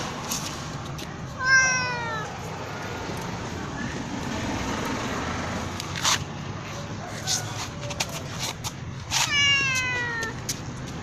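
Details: Black cat meowing loudly: two drawn-out, falling meows about eight seconds apart over a steady background hiss, with scattered clicks and knocks between them.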